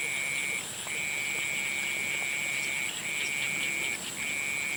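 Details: At sunset, frogs give sustained, even, high-pitched trills, four of them lasting between one and two seconds each, separated by short breaks, with a faint steady shrill hum running underneath throughout.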